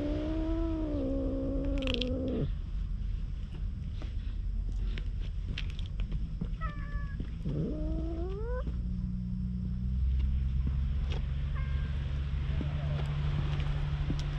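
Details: Wary stray cat met on a road leading to the sea, approached with a cat-grooming brush and filmed on a GoPro. It gives a long, level, nasal meow, then two shorter rising meows, over a steady low rumble of wind or traffic.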